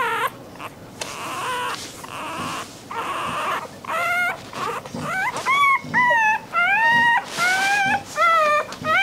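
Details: Puppy crying, said to catch dogs' attention; a muffled, noisy start gives way to a quickening run of short, high, arching whimpers and yips in the second half.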